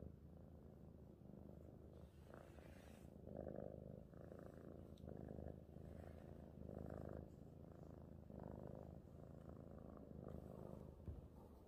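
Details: A happy house cat purrs in a steady low drone, its rhythm rising and falling with regular breaths, loudest in long pulses every couple of seconds.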